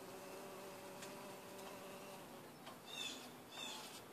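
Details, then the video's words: Bumblebee drinking ginger nectar, giving a steady low droning hum with layered overtones through the first half, which then fades and wavers. Two short high chirps, likely from a bird, cut in near the end. "Bumble bee"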